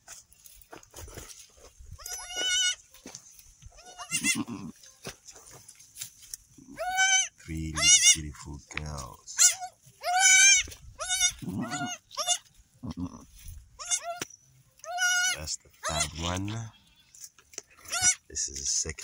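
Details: Newborn kid goats, three females just delivered on an off-grid homestead in Uganda, one finding its mother's teat to suckle; repeated wavering, nasal bleats, high and tremulous, many in quick series, with a person talking quietly between them.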